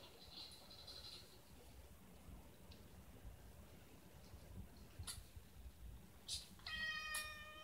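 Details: Former rescue cats at home: mother Gina, reluctant to keep nursing, squabbling with kittens Luke and Leia, Luke still wanting milk. A faint high thin squeak opens, then near the end a clear harmonic meow holding steady before cutting off, amid indoor rustling.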